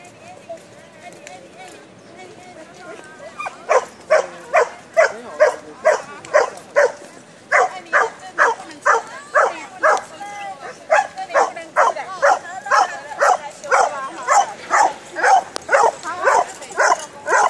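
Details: Old English Sheepdog socialising with other dogs in a park: after a few seconds of quiet talk, a long run of sharp, evenly spaced barks, about two a second, continuing to the end.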